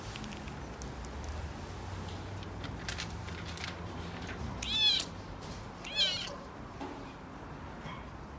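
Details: Male red tabby Scottish Fold kitten born 27 October 2017, at a pet shop, gives two high, rising-falling meows about a second apart with a fainter third after, over a low steady hum and light clicking sounds.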